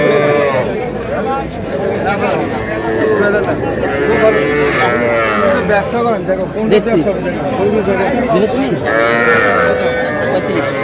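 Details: Amid steady bargaining voices at a packed Madaripur cattle market, Bangladesh, where young bulls and heifer calves are sold in mid-February, several overlapping calf moos rise and fall, some long and wavering.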